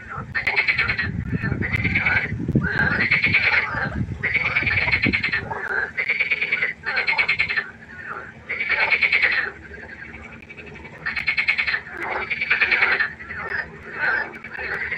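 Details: Loud nocturnal frog concert at a pond: harsh pulsed croaks come in rapid, regular bursts roughly every second, with a rumbling low noise during the first five seconds and a steady hum throughout.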